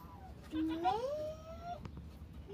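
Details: Goat at the birth of triplets, a mother goat delivering three kids at once; one tonal bleat climbing smoothly in pitch for about a second, with people chatting before and after.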